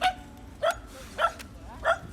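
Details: Shetland Sheepdog from the neighbourhood, heard from a yard in Jeju, giving a familiar but strange voice: four short, high yips spaced about 0.6 seconds apart, with quiet background between them.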